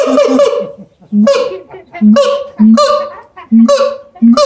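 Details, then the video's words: Captive siamang gibbons at the L.A. Zoo in a howling bout: short, loud, barking whoops repeated about once a second, each with a sharp upper harmonic edge. "Siamang Gibbons Howling at L.A. Zoo!"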